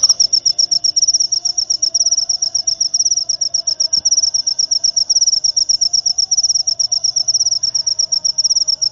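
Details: Jangkrik upo cricket producing a piercing, high-pitched chirping trill of fast, regular pulses, roughly four per second, sustained throughout over a quiet low background.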